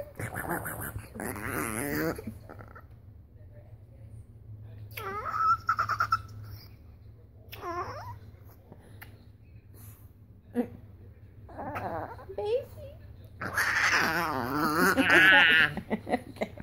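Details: Pet dog indoors making weird noises: several bursts of wavering, rising and falling whine-like vocal sounds with rich overtones, separated by quiet gaps, mixed with human laughter and talking, loudest near the end.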